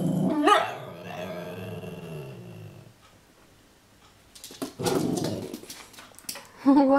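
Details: An Italian Greyhound playing with a wind-up toy gives a sharp rising yelp, then a low, drawn-out growl and another quick yelp, with the toy's mechanical clicking and rattling between.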